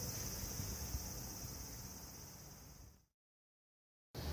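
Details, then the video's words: Lively summer cicadas in a town, a continuous shrill, even buzz held for about three seconds above low city rumble, then a sudden silence before the sound returns. "夏の風物詩 蝉の鳴き声"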